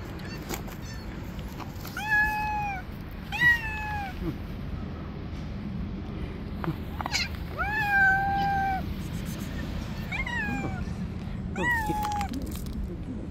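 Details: Stray street cats clashing in the territory of an angry white cat: a run of drawn-out, slightly falling meows, about six of them and several long and harmonic-rich, over a steady low rumble of traffic and outdoor noise.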